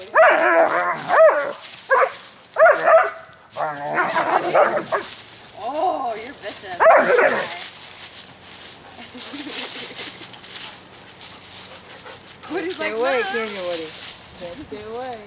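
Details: Skywalker and Woody, two dogs play-wrestling in autumn leaves outside in southwest Michigan on a warm day; short harsh growling bursts cluster early, then fade, while a woman speaks over them throughout.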